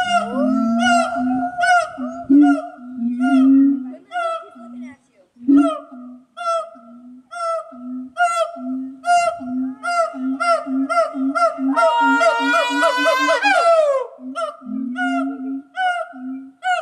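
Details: Siamang gibbons at Omaha's Henry Doorly Zoo, at first taken for howler monkeys, call loudly and noisily, mixing deep booms with repeated rising hoots and barks that build to a shrill climax.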